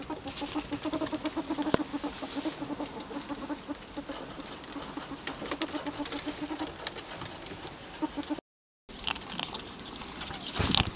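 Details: Rapid chuckling clucks from noisy pet albino ferrets, pulsing quickly for about seven seconds before fading into rustling, scraping and shuffling movement sounds with a brief break.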